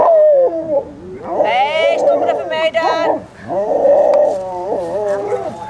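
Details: Young Alaskan Malamute puppies, 26 days old, at the Sakima Kiwidinok kennel in September 2009, give a tangle of long, wavering howls and whines that rise and fall, with a brief steady high note midway and human voices mixed in.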